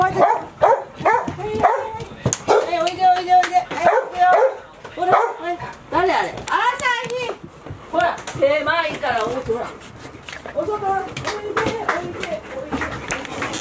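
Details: Golden Retriever puppies, five of them aged 158 days, staying inside the house at Ain village through the day while Typhoon 24 neared, September 30, 2018; rapid bouts of high, wavering yelps and barks, some drawn into whiny notes, continuous throughout.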